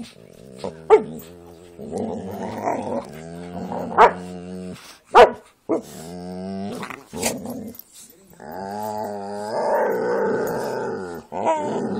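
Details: Playful growling from a Jack Russell and pit bulls at play: rough, rumbling harmonic growls punctuated by sudden sharp barks, then a long, strained growl-whine near the end.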